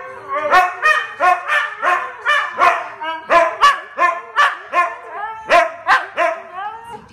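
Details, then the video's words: Young dog learning to howl, ending up in a barking competition with another dog: a steady run of rising, yowling bark-howls, roughly three per second, harmonically rich and overlapping throughout. "learning to howl"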